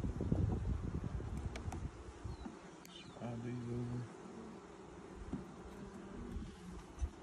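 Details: Honey bee colony during its first hive inspection in 2020, six days after nucs were installed, workers already building out new comb: a steady low buzzing drone, joined by a man's voice talking midway through.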